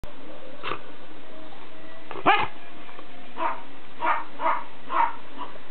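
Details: Dog barking at home while Ziggy the corgi gets Shadow the Schipperke riled up: about six sharp, hoarse barks spread irregularly across six seconds, the loudest one early, with later barks coming in a quick run, before a person starts speaking.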